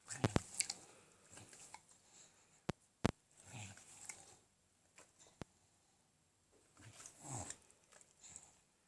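An English Bulldog lets out low, throaty burps between wet chewing and smacking noises after eating.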